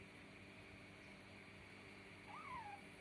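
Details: A young rescue kitten playing at a washing machine, trying to catch the clothes, gives a single short meow that rises and then falls away near the end. A steady machine hum runs throughout, with a person talking around it.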